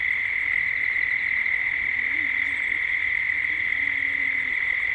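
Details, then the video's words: Cicada chorus at dusk in Gippsland, Australia: a constant, even drone at a single pitch, with a faint low wavering tone underneath and a brief high chirp midway. "Cicadas at dusk"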